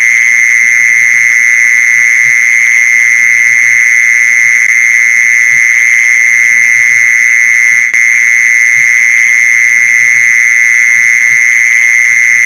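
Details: Mole cricket, played to lure other mole crickets: an unbroken, steady high trill holds one even pitch for the whole stretch, with faint low rumbles beneath.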